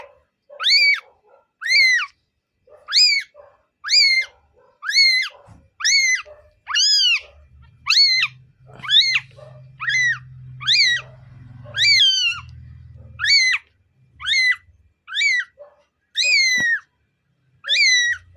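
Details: A 12-day-old kitten gives high, thin, insistent meows, each briefly rising then dropping, repeated roughly once a second for the whole stretch, with a faint low rumble in the middle.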